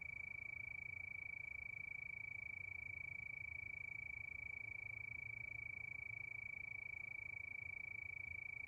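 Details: Steady chorus of crickets at night beneath the moon, a continuous high, rapidly pulsed trill that never changes pitch or loudness, with a soft low rumble beneath.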